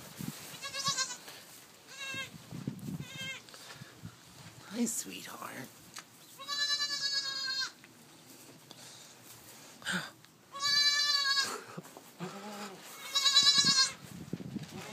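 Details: Newborn goats bleating noisily and repeatedly, shrill wavering cries of varied length, interspersed with a person talking and coaxing the kids to stand up.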